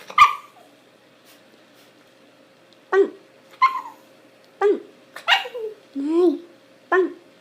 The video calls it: Shiba inu loves making funny sound.